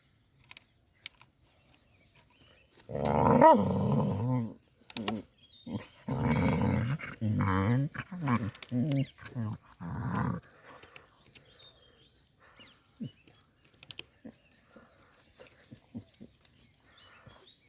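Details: A 4-month-15-day-old Cane Corso puppy gives a deep, rumbling growl in several drawn-out bursts.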